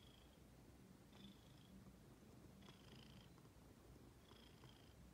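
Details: Domestic female cat waiting to be petted or to play. Quiet, continuous low purring with a faint higher whistle-like tone recurring at irregular intervals of one to two seconds.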